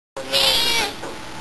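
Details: Tabby cat relaxing at home gives a single clear meow lasting about half a second, tonal with bright harmonics, slightly falling in pitch and fading out.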